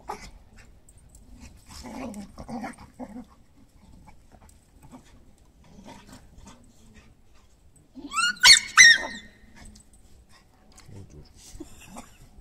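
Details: Two Irish Glen of Imaal Terrier puppies from one litter romp in a garden with their mother and grandfather: soft low growls in short bursts early on, then two loud sharp barks near the end, with quiet rustling between.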